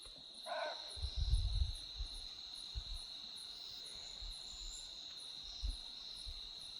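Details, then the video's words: Barking deer alarm call during a night drive in the Corbett jungle, given when the deer sees a tiger or leopard nearby. One short, dog-like bark comes early, over a steady high cricket drone and low rumbling thumps. "तो दोस्तों, जो अभी आप कॉल सुन रहे हैं, ये बार्किंग डियर की है।"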